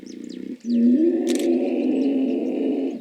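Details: Hippos making noise: a short pulsed grunting burst, then a loud, sustained, droning low call with a slightly wavering pitch, with faint bird chirps above.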